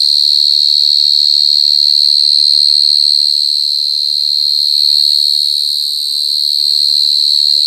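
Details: Mole cricket (gangsir) singing super loud, an unbroken, shrill, ringing buzz at steady pitch and volume from start to finish, with faint low sounds beneath.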